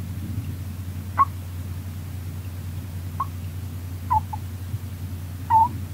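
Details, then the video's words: Rolo, a female pet Russian dwarf hamster, snoring in her sleep: four brief, faint squeaky peeps spaced one to two seconds apart, the last one longer and drawn out, over a steady low indoor hum. "Rolo the hamster snoring"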